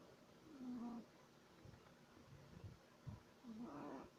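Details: A sleeping 3-month-old Shih Tzu puppy snores like a human, with a low, whistling, nasal tone on each breath.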